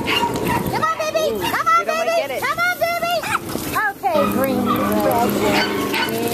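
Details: American hairless terriers at a UKC-sanctioned terrier race run by the Hurricane Alley American Hairless Terrier Association on January 7, 2012: high, arching, strained yelps in quick bursts, mixed with people talking.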